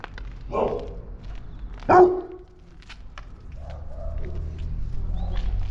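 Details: Baloo, a three-month-old Boerboel puppy newly added to the family and already protecting his house, gives two short, sharp barks in the first two seconds, followed by softer, drawn-out whining sounds over a low background hum.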